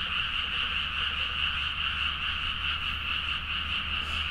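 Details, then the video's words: Frogs in full chorus at midnight in Nagaoka's rice fields, Niigata, Japan, recorded on a Zoom H4n; unbroken layered croaks, roughly two pulses a second, with a low steady hum underneath. "The frog sound at mid night (環境,自然音 -深夜のカエル大合唱-)"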